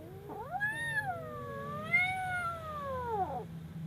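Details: Frightened kitten giving one long, drawn-out wailing cry lasting about three seconds, rising sharply, dipping, then swelling again before tailing off, over a faint low hum.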